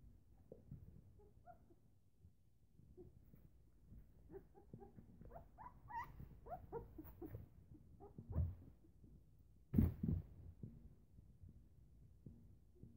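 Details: Newfoundland puppies, eleven days old, at morning feeding with their mother: soft scattered squeaks and whimpers bunched mid-clip, set against low rustling and shuffling, with one sharp knock near the end.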